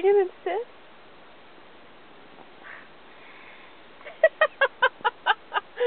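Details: Encouraged to speak on command, Robbie, an Australian Cattle Dog, starts with two short whines and then barks steadily, about nine evenly spaced yaps in under two seconds.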